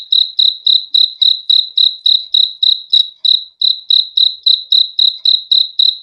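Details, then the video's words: Cricket chirps offered as a calming sleep sound, each chirp a short, bright, high-pitched trill repeated roughly every quarter second, with a tiny gap just after three seconds and a quiet background. "BEAUTIFUL SOUND OF CRICKETS"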